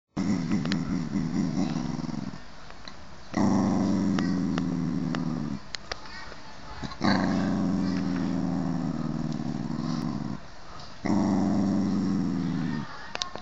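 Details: Hot-tempered male toy poodle growling: long, low, rumbling growls lasting about two to three seconds each, four bouts separated by short pauses, with faint background noise.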